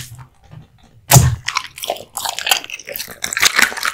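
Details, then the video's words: A male American Bully named Kotetsu bites into hanging raw meat and bone. A heavy thudding crunch breaks a near-silent opening, then a steady run of cracking, snapping chews follows. "Dog eating hung raw meat and bones 【American Bully】"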